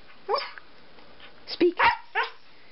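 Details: Pet Siberian Husky Turbo speaking on command during a trick routine: one bark, a pause, then three quick barks in a row, with a person saying "speak" around them.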